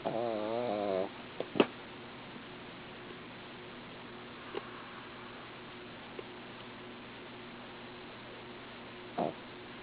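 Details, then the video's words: A female dog asleep snores once for about a second, a buzzy, wobbling drone, then near-silence with low hum broken by scattered soft clicks and knocks. "She is cute...but she snores!"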